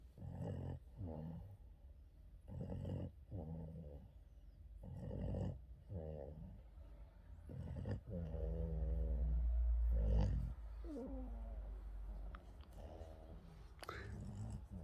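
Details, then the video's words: Yoda the Boston terrier snoring through an afternoon nap: a steady run of deep, rattling snores, about two per second, growing into a longer drawn-out rumbling breath near the end before short snorts resume. "Yoda the Boston terrier afternoon nap, scratches and snoring"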